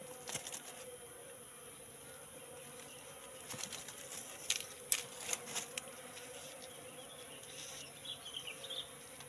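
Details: Colony of wild Apis cerana moving into a trap box set three months earlier: a low droning hum of massed wings, broken by several sharp ticks and taps midway, over a constant high-pitched background whine.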